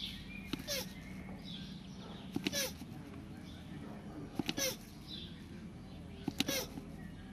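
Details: Mating land tortoises give a brief falling squeak paired with a hard click about every two seconds, three or four such bursts in turn, against a low constant background hum.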